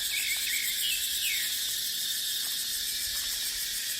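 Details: Dense shrill cicada chorus from a dry dipterocarp forest in the dry season, an unbroken high hiss-like drone with brief faint sliding chirps near the start, set against wind.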